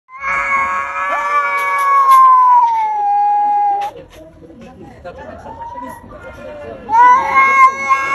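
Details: Domestic cat wanting to fight but holding back: a long drawn-out yowl that slides slowly downward for over three seconds, a quieter stretch of low murmuring, then a fresh rising howl near the end.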